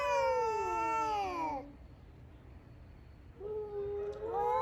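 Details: Community male cats in Okinawa, Japan, fighting over territory in the morning: a long descending yowl that dies away, a quiet pause, then a lower rising wail builds again.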